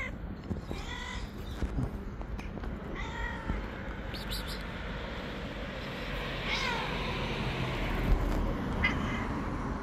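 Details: Angry, wild white stray cat living on the street, never wanting to be tamed, giving several harsh harmonic meows spaced a few seconds apart over steady low traffic-like rumble and background noise.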